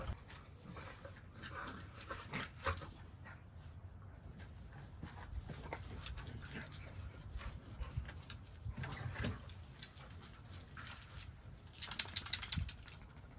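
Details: A German Shepherd play-fights and wrestles with other dogs, including a Boxer, amid zoomies. There are low, rumbling growls with short huffs and scuffling.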